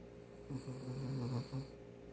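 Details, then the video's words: Poodle named Daebak, very tired and sound asleep indoors, recorded in close-up and snoring unusually loudly that day: one low, rough, rumbling snore lasting about a second, then a shorter snort-like breath, over a steady room hum. "푸들 대박이네 :) 코골이 하는 강아지"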